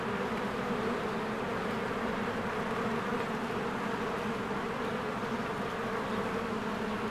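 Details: Swarms of honeybees working at their hive in spring; an unbroken, even buzzing drone with layered low tones, steady loudness from start to end.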